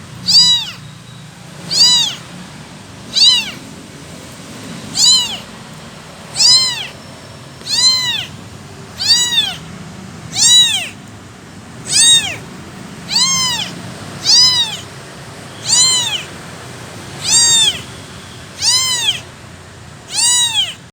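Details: Long run of persistent crying from a motherless abandoned kitten: about sixteen high, arching meows repeated every 1.3 seconds or so, steady and insistent, with faint low hum beneath.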